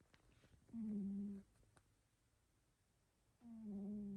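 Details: Extremely loud snores from a sleeping cat in a small quiet room, two steady low humming breaths about two and a half seconds apart, each a buzzy tone held near a second.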